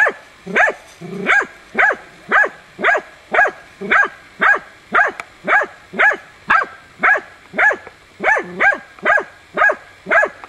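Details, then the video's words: Baying at young wild boar in training, hunting dog Tina barks insistently, 6 March 2013. Clipped, forceful barks repeat at a very even pace, about two per second, with a few higher yelping notes mixed in. "TINA JANIORSKA odlicno goni i uporno oblajava d.nazimad"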